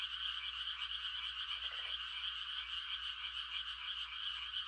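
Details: A massed chorus of frogs mating-calling on a quiet rural night in rice-planting season. The high, continuous, shimmering trill is broken only by one short lower croak midway.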